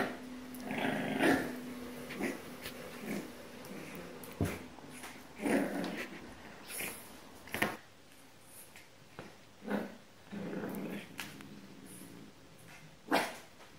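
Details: A puppy attempting to reclaim its bed from a cat gives a series of uneven, grumbling growls and whiny sounds in a small room, interspersed with clicks and rustles.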